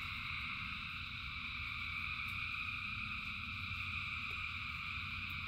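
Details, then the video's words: Many frogs calling together in rain, a dense, unbroken chorus of layered high trilling bands that never pauses, over a low steady rumble of rainfall. "Frogs in Rain 2 Hours of Frogs, Thousands of Frogs Singing"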